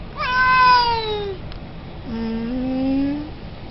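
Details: Siamese cat giving two meows: the first starts high and slides steadily downward over about a second, and after a short pause a lower, nasal meow rises slowly and then stops.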